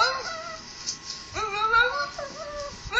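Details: Chihuahua reacting vocally while watching a recording of himself saying "I love you", giving wavering, rising and falling yowling moans in several drawn-out phrases.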